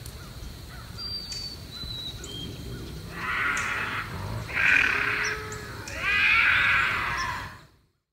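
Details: Bobcat howls played as a deterrent against raccoons and rodents: three harsh, raspy bursts about a second long each, a short one then two louder ones, over a faint steady background hiss.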